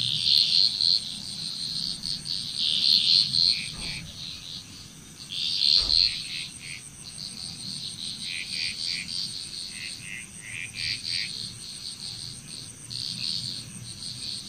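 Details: In Bali, Indonesia, a frog chorus gives rapid clusters of sharp, high, clicking pulses, repeated in bursts every few seconds. Many callers overlap over a steady high insect whine and a faint low hum.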